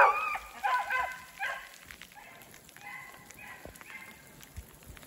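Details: Hunting beagles Rio and Ripley run a snowshoe hare in a block of snowy woods during sleet and rain; a few bays sound close at first, then fainter, rhythmic baying fades into the distance over steady patter of rain.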